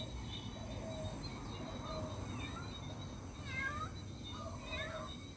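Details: Cat searching for its missing kitten, giving a few brief meows, some with a rising then falling pitch, against a steady noisy background.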